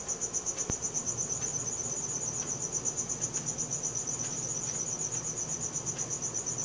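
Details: Cricket chirping at night, recorded on a Samsung Galaxy S4: continuous piercing high trill beating in fast even pulses, one sharp click early on, soft low background noise.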